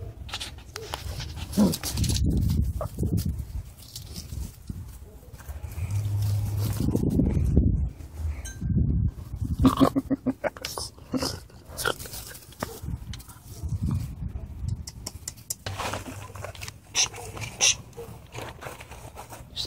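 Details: Brindle male English Mastiff puppy at seven weeks, playing around; low rough growling bursts and short barks come in irregular clusters, with scuffling and clattering between them.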